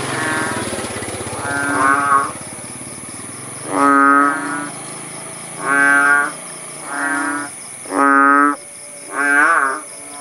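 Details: Frogs (kodok bangkong) calling in a village at Paya Bujok Tunong, Langsa, Aceh, Indonesia, after the rain stopped: about seven deep, nasal, mooing notes, each under a second long and spaced irregularly, over a steady high insect-like whine.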